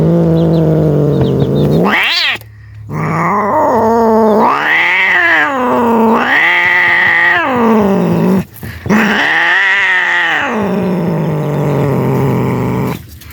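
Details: Scared cats making a loud noise: long, drawn-out wailing yowls with a strained, harmonic-rich tone, swelling and falling in arched waves, several sustained cries of about one to two seconds each with brief breaks between them.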